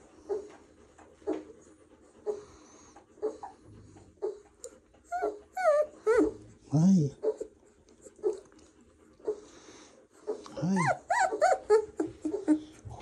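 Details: Doberman puppy being played with, sporadic soft whimpers and short whiny yelps, with two louder bursts of rising, wavering squeals midway and near the end, mixed with low grumbling and a person talking softly.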